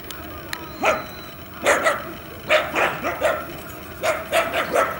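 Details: Boston Terriers Leon and Venus running and playing, recorded with a Canon EOS 7D: short sharp yipping barks in quick bursts of two or three, about a dozen over five seconds.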